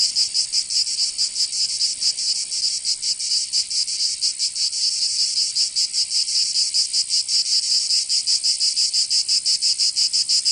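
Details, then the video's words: Summer chorus of cicadas in Provence, southern France: a loud high-pitched rasping drone that throbs in quick, somewhat uneven pulses throughout, no other animals or noises. "Canto Cigarra"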